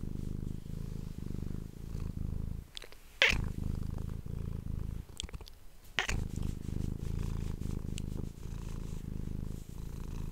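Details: Domestic cat purring, recorded indoors close up on an ASMR microphone: a continuous low rumbling purr with rapid pulses, broken by brief pauses and a few sharp clicks or rustles.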